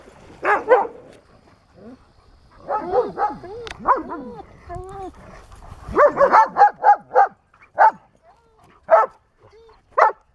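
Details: Spayed female German Shepherd, two and a half years old, at a rescue ranch in Pleasant Grove, California, on August 16, 2018, exploring the grounds: sharp barks and yips in bursts, with whining, sliding whimpers in between and a brief human voice.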